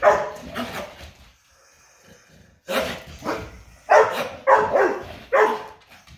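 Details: Pet dogs indoors in a morning barking competition: loud, harsh barks in uneven bursts, a quiet pause of over a second, then a run of four sharp barks about half a second apart.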